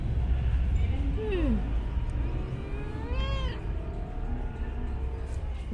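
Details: Pet cat meowing while its owner talks to it: a short falling meow followed by a longer rising-then-falling wavering meow, over steady low background rumble.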